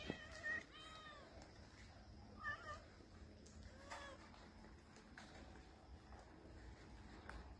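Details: Street cats outdoors; a few short, quiet meows in the first three seconds, then faint background noise.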